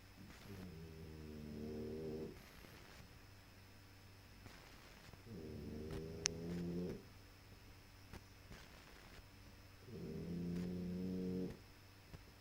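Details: Puppy snoring: three drawn-out, low, buzzy rattling breaths with a layered tonal hum, each lasting over a second and coming roughly every four seconds, with quiet pauses between.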